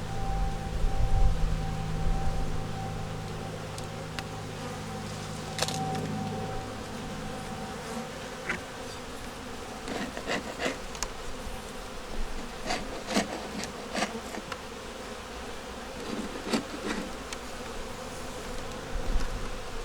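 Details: Honey bees in a nuc working to make it through winter, with a yellow queen, eggs and brood in the top box during a hive inspection. There is a low, steady hum with scattered clicks and handling knocks.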